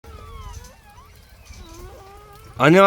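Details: Newborn puppies just born to a dog named Heukhyang, giving thin, wavering whines that slide up and down, overlapping over several seconds, before a person's voice cuts in loudly at the end.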